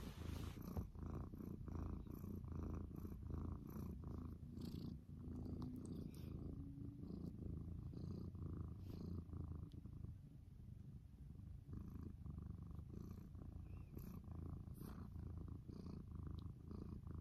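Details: Morning purring from a cat, low and steady, swelling with each breath in a regular rhythm, the rumble continuing unbroken for the whole stretch with a slightly quieter middle section.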